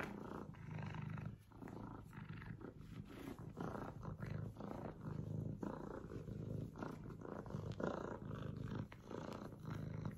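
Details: F2 Savannah kitten called Yellow Fellow, jokingly described as vicious, giving a steady low rumbling, pulsing purr-like growl that swells and fades in rough waves for the whole stretch, with faint rustling handling noise.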